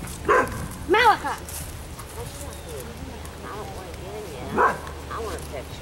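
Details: Ava, an Afghan Hound at a picnic, gives three sharp, harmonic-rich barks: two close together near the start and a third after a pause of several seconds. People talk in the background throughout.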